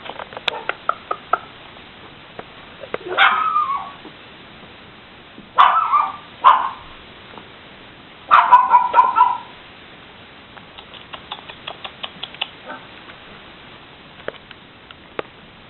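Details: Six-week-old puppies from Eva's litter, indoors: three bursts of high, drawn-out whining yelps that rise then slide down, spaced a few seconds apart, with light tapping and scrabbling patter between them.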